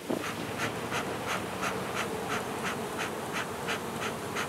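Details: Colony of western honey bees during relocation of their hive from a palm tree in Mission, Texas: a steady low hum with regular bright ticking pulses about three times per second laid over it.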